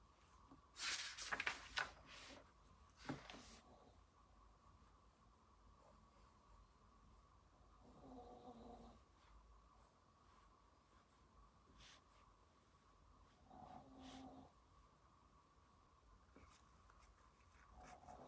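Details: A pet dog snoring while asleep at home during a study session: soft, tonal snore breaths near eight and fourteen seconds, with scratchy writing and rustling sounds in a quiet small room.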